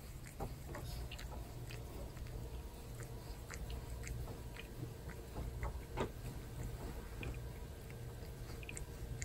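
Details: Torapachi, a domestic cat, licking and grooming a person's hair in a small room: a continuous run of soft scratchy rasps and wet smacking clicks at an uneven rhythm, with a constant low hum behind.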